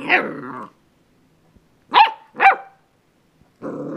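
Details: Jake, a pet dog, playing with a doorstop indoors: a growly bark, then two sharp broadband barks about half a second apart, and a low rumbling growl starting near the end.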